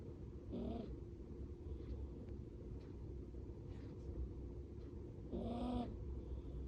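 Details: Sleeping Bolognese puppy in a cage, face poking through the bars, snoring loudly like an old man instead of its usual soft breathing; two harsh, rasping snore bursts about five seconds apart over a steady low hum.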